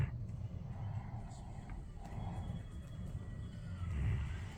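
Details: Central Asian Shepherd Dog (Alabai) snoring while asleep: deep, rough rumbling breaths in the low register, swelling in uneven bursts and growing louder near the end, with faint higher hiss above.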